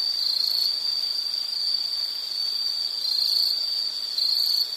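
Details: Insect calling in a nature soundscape meant for study or sleep: one steady, high, thin trill with no pauses, dipping briefly near the third and fourth seconds. No other sounds stand out.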